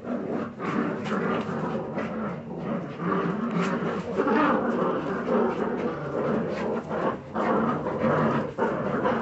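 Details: Several Jagdterrier puppies keep up steady throaty growling and squabbling noises without pause, the rasping texture broken by occasional sharper yelps.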